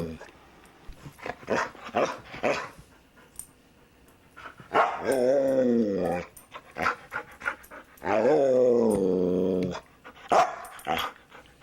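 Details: Luca, a talkative foster dog, vocalizes at home: short bursts, then two drawn-out, wavering, moaning howls of about a second and a half each, with a person's voice chiming in between.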